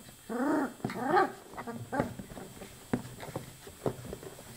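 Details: Twenty-four-day-old chocolate Labrador Retriever puppies give two wavering, harmonic whimpers in quick succession, followed by scattered soft clicks and small grunts.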